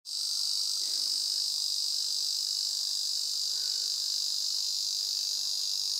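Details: Ezo cicada calling in a steady, unbroken metallic drone, high and shrill, starting abruptly and holding at an even loudness for the whole stretch with no pauses.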